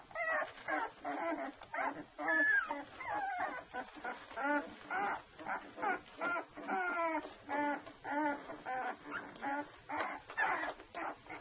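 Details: Two-week-old Saluki puppies of the Vision litter whimpering and squeaking, overlapping short pulsed cries in steady bursts, several pups calling at once, some rising whiny squeals.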